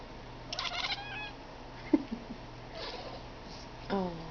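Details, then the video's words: Blue Boy, a pet cat, making a weird sound: short bursts of harmonic chirps near the start, a faint rising call midway, and a brief falling chirp at the end, over a low steady room hum. "Blue Boy making that weird sound."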